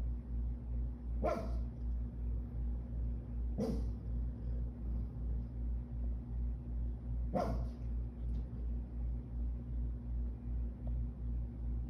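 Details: Pug acting as a guard dog, giving three short, sharp barks spaced a few seconds apart over a steady, pulsing mechanical hum.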